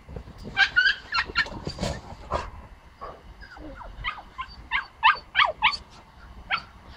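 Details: Bentley, a female pomsky puppy, investigating strange noises next door and meeting the neighbours' big dog; high, sharp yips and whiny barks come in quick bunches, about three a second, with pauses between bursts.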